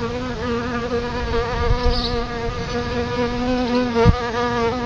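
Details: Close, steady drone of solitary bees at a nest outside a front door, a low humming buzz holding a near-constant pitch, with a brief soft knock near the end.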